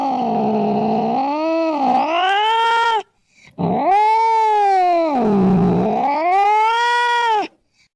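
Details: Cat giving two long, moaning caterwauls that sag low then climb higher, each about three to four seconds, loud and strained; played so rats and mice flee the house.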